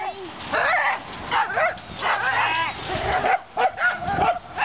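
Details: Dogs at a home where a rescued dog named Moo is kept: short bursts of high, excited barking and yipping come in quick clusters with brief pauses, while human voices talk over them.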